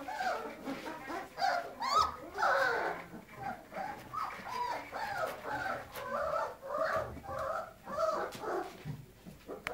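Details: Weimaraner puppies on the loose make squealing whines and short yelps over a rough, noisy background, the wavering cries coming in irregular bursts roughly every second, with scuffling sounds between them.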